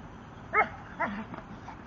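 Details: Gorman, a 10-month-old Staffordshire Bull Terrier, plays with his tyre. He gives two short, sharp barks about half a second apart. The second slides down into a brief whiny tail, followed by a faint yip over a quiet background.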